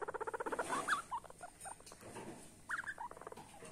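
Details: Small guinea pig starting with a fast train of pulsed, buzzy notes, then looping, rising whistles. A second pulsed burst with whistles follows after a quieter stretch of soft rustling.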